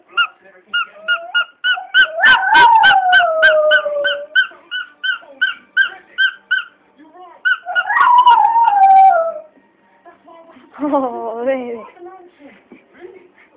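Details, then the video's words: Rapid toy squeaks set off a pet Border Terrier, Archie, into sliding, descending howls. Two long howls rise out of the squeaking, and a lower, quavering wail follows near the end. "My Dog Howling at Squeaky Toy"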